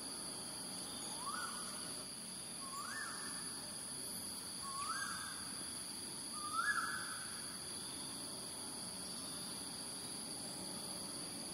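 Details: Wild smooth-coated otters, a roaming family of six plus one, in Singapore early in the morning on 12 December 2023 at 6:58 am; four rising whistled calls, roughly every 1.8 seconds, over a steady high insect drone.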